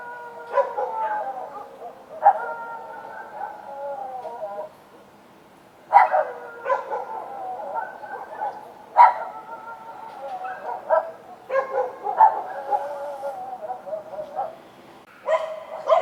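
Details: Outdoor night recording of dogs: bursts of abrupt barks every few seconds, each sliding into sustained, wavering, whine-like tones. A brief quiet gap falls midway, then barking resumes with several overlapping voices.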